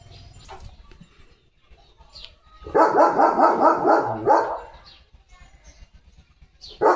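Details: Leo, a German Shepherd, plays with a water mug held in his mouth. He gives a rapid, muffled run of grumbling barks lasting about a second and a half, with quieter room sounds before and after.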